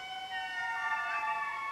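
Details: Indri, the largest lemurs, wail in long, siren-like tones that rise and slide in their distinctive morning calls, heard over 2 km away. A family group in Madagascar forest marks its territory, telling neighbouring groups to keep their distance.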